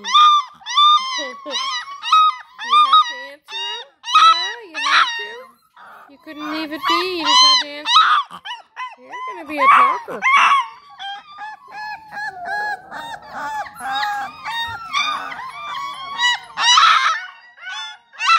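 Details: Female Bluetick Coonhound puppy, three and a half weeks old, howling back to her siblings: a chorus of high, wavering yelps and whines from several pups, overlapping and rising and falling, with a person speaking softly.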